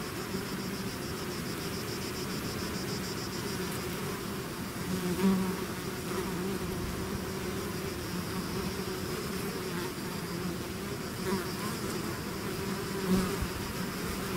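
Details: Honey bees swarming out of their hive make a constant layered hum, deep droning tones under a fizzing wash of wings, with a few brief louder swells as single bees pass near.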